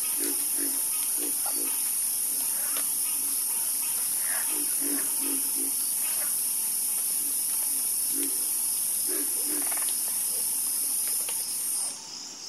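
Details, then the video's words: Croaking frogs in chorus: deep, short clucks in quick pairs and small clusters, with a few higher raspy notes, scattered irregularly over a constant high hissing buzz that fades at the very end. "Calming Sound Of Harmonious Frog Croaking"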